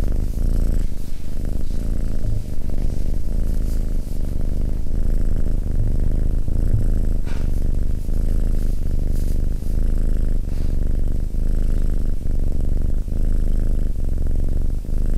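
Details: Abyssinian cat sitting calmly beside a person, purring: a deep, steady rumble with a fast pulsing texture that swells and eases in a regular rhythm throughout, with no other clear sounds.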